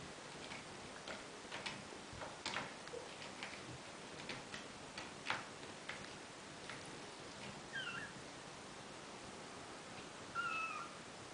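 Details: Bengal kittens, four weeks and two days old, the babies of Lily and Romeo, playing indoors: soft scattered thumps and pattering of play, then two brief high, bending mews near the end, one faint and one clearer.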